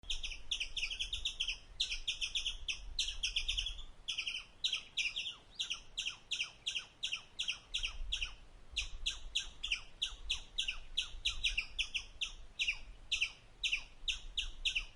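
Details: Indian palm squirrel chirping while eating: sharp, high, clipped chips fired in quick runs of about three to four per second with short breaks between bursts, over a faint low rumble in the background.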